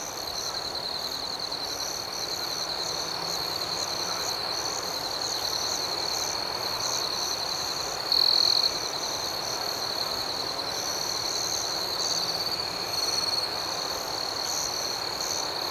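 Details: Night chorus of crickets: a continuous, thin, high-pitched ringing trill with faint softer pulsing above it and a single louder chirp burst about halfway through, over a quiet hiss.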